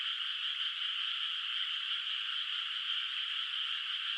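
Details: Moonlit rice field at night in the countryside, unplanted water surface, with frogs calling; a dense wall of high buzzing trills runs steadily without a break, with no birds, wind or voices.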